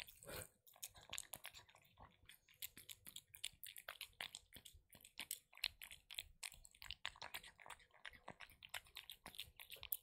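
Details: Kitten eating her favourite wet food, recorded close up: a fast, steady stream of wet clicks and smacking bites, uneven but almost continuous, in a quiet room.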